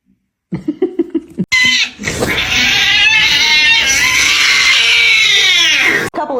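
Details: Cat from a compilation of funny kitten and cat fail moments, giving one long, strained, drawn-out yowl that holds steady for about four and a half seconds after a few short, clipped sounds, then cuts off abruptly.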